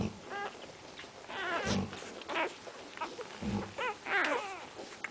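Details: Central Asian Shepherd Dog puppies whining in a run of wavering, high, quavering cries that rise and fall. The cries are broken by low dull thuds.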